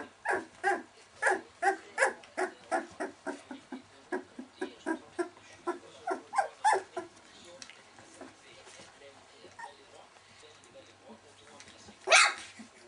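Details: Welsh Springer Spaniel puppies, 19 days old, with a rapid run of short harmonic whimpers and squeaks about four per second for eight seconds, then fading to scattered faint sounds and a final louder squeal.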